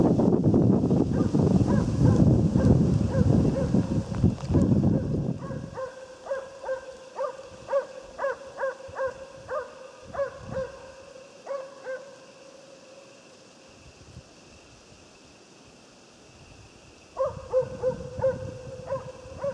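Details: Jämthund (Swedish Elkhound) named Otis barking during a moose hunt in the woods. The bark is a clear, ringing, mid-pitched yelp repeated rapidly, about three per second, in a long series. It pauses, then resumes. Rustling and wind are heard at the start.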